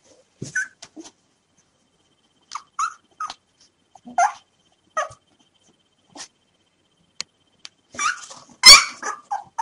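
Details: Whimpering from five 3-day-old rescued puppies before feeding time: sparse soft squeaks and short high cries separated by silences, ending in a louder shrill yelp followed by a few more whines.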